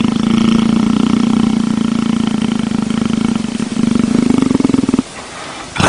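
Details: Leopard enjoying being petted, giving a deep, steady, throbbing rumble with fine rapid pulses for about five seconds, then it stops abruptly before a brief rustle at the end.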